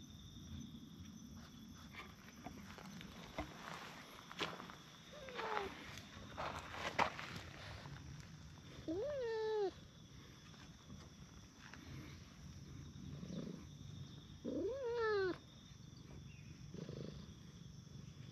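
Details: Stray cats, a brown tabby and a tortoiseshell, sit on a park bench and are petted in turn. Two drawn-out, bending meows sound about five seconds apart over soft rustling, footsteps and quiet outdoor background.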